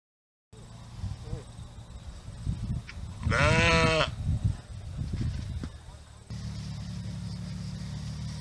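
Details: Sheep on a farm giving a single loud, wavering, harmonic-rich bleat lasting under a second in mid-clip, set against a steady low rumble and background noise.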